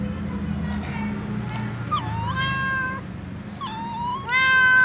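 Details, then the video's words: Calico cat meowing while walking and asking for food among other cats; several harmonic meows, some rising then falling, the loudest and longest near the end, over a steady low background hum. "Calico cat meows walking asking for food together with other cats"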